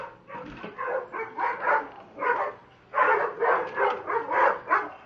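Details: Dobermanns Rocco and Bridget acting crazy, giving loud, rough barks in quick runs of about two or three per second, broken by a short pause midway before a fresh burst.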